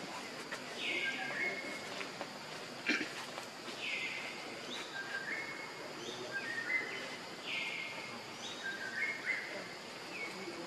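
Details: Baby monkey Leo, hungry and crying to beg its mother for milk: a run of high, thin squealing cries, each a flat or falling tone, repeated about every one to two seconds over steady background hiss.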